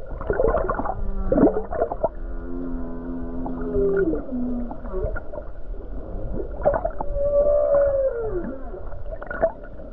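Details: Humpback whale song recorded by the Hawaii coast on a calm, beautiful day: gurgles and knocks, then a buzzy harmonic drone sliding downward, followed by a long arched moan that rises and falls, with low water noise throughout.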